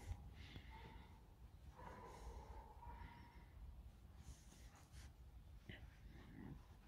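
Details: Pet fox Alice grumbles early in the morning, around eight, soon after waking: drawn-out, steady whining tones come in two long stretches, then a brief sharp note later, over soft breathy snorts and a low indoor hum.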